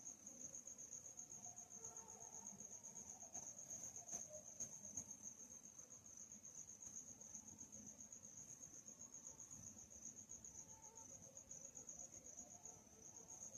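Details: Crickets chirping at night, a steady high-pitched pulsing trill that runs unbroken through the whole stretch over a faint low background rumble.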